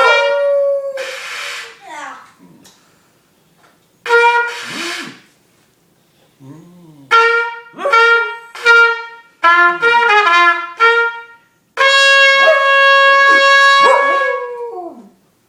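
A dog howls in long, wavering notes that blend with a trumpet playing nearby.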